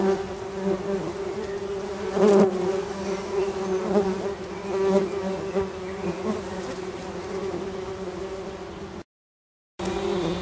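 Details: Worker tree bumblebees in a garden nest box buzzing aggressively as it is opened. Loud continuous low hum with several surging bursts, ending after a brief silent break.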